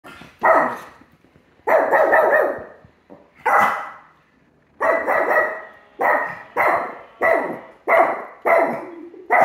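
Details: Three-legged female Chiweenie barking at her own picture, as she does at other dogs on TV. Loud, sharp, slightly hoarse barks, about eleven in nine seconds, mostly evenly spaced with one short pause.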